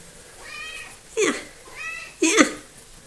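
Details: A small, talkative female house cat calls twice indoors, each time a soft harmonic lead-in rising into a loud, sharp meow about one second apart, the second cry stronger than the first.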